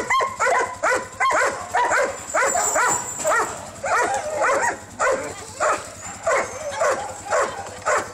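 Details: Husky dogs kept at a kennel, visited by bus on 25 November 2012, barking and yipping steadily, about two barks per second, several dogs calling at once.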